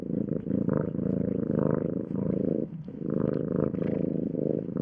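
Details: Domestic cat purring: a low, steady rumbling drone that swells and fades in breath cycles of roughly one second, with a brief quieter gap near the middle before the rumble resumes.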